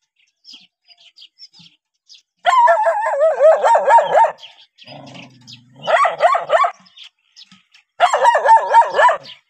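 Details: Dogs meeting a stranger bark in three loud bursts of quick, harsh barks. A brief low hum is heard in one of the gaps.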